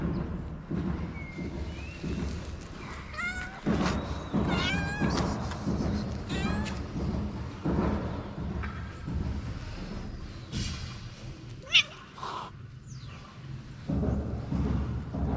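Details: Sweet calico street cat in Morocco, jealous and keeping another cat from coming near: a cluster of short, wavering, bent meows in the middle, some overlapping, over a steady low outdoor rumble with faint scattered clatter.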